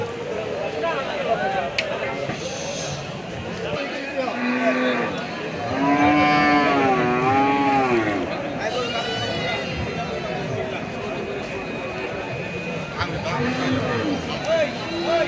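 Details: Big red Sahiwal cattle for sale at Hazratpur market in 2025: overlapping lowing moos with wavering, bending pitch, several callers in a noisy market with people talking.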